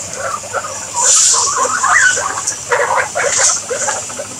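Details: Pet guinea pigs giving short, clipped squeaks in uneven bursts, a brief upward chirp near the middle, with a constant high-pitched hiss behind them.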